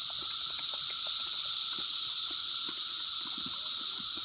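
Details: Loud cicada chorus on a farm, 2016, an intense steady shrill buzz with no breaks. Faint low clicks and rustles sit beneath it.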